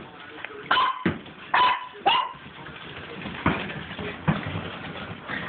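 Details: Dogs at play with a tennis ball in a hallway let out three spaced, yelping barks about a second apart, followed by softer thuds and shuffling noises.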